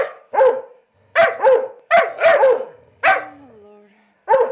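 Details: Vocal 19-week-old Labrador Weimaraner mix puppy, awaiting adoption in Chattanooga, Tennessee, barks in sharp clusters of two and three, then gives a falling whine before one last bark.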